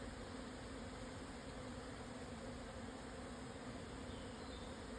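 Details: A swarm of Japanese honey bees on 17 June 2024 at 12:50, Yatsugatake highlands, Yamanashi, at 1054 m, after strong winds subsided. Constant, full humming drone of countless wings, steady from start to end.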